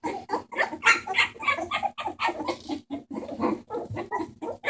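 Bulldog puppies squeak and whimper in quick, overlapping bursts, several voices at once.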